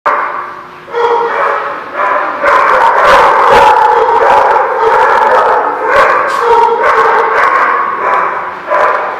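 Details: Dogs at a place called The Barking Lot, recorded 26 February 2016, bark in a dense, overlapping chorus; several voices overlap continuously with little pause between barks.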